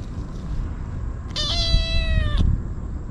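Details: Stray kitten crying desperately while gobbling Sheba and Churu treats: one sustained, loud, steady meow of about a second, bright and harmonic, against rumbling background noise.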